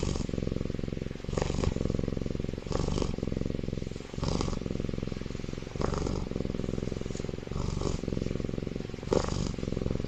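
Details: Sleeping baby tiger inside an incubator snores loudly, a low vibrating rumble running throughout, punctuated by roughly eight airy inhalation rasps spaced one to two seconds apart.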